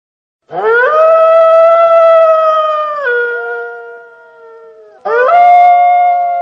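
A wolf howls in a long, clear, tonal note that rises quickly, holds level for a couple of seconds, then slides down and fades. After a brief pause a second howl begins with the same upward swoop.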